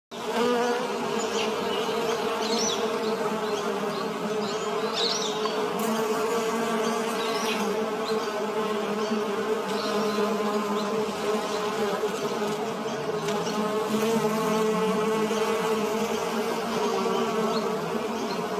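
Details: Bee collecting nectar among flowers, giving a steady, continuous droning buzz with a low hum and brighter overtones that holds almost unbroken throughout, with slight shifts in pitch as it moves.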